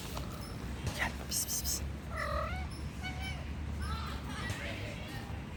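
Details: Hungry stray cats living on the street meow for food: a few short, arched, harmonic meows, rising then falling, spaced about a second apart over steady low background rumble, with faint high insect-like chirping early on.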